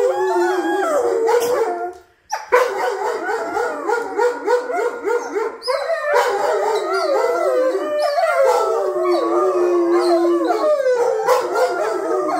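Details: A young wolfdog pup howls indoors in long, wavering, overlapping notes that rise and fall in pitch, one of several wolfdogs set off howling by a game of petting the human, which made another get jealous and loud.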